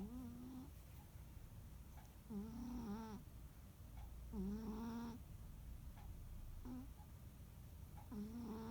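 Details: A rescued cat named Munehari snores during a quiet holiday afternoon. A run of tonal, buzzy snores, some long and some short clips of breath, repeats at uneven intervals against a hushed indoor background.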